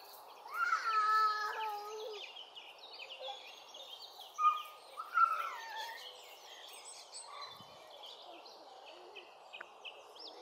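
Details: Cheetah cubs at Hamerton Zoo in September 2024, four cubs (two female, two male) born October 2023 to first-time mother Jetts, playing in the main cheetah paddock; clear high tonal chirps with harmonics in two bursts, higher bird twittering behind.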